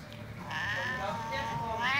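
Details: Max, a domestic cat angry at a hand waved in front of him, gives a drawn-out wavering yowl that swells after a quiet start and rises at the end, in a quiet indoor room.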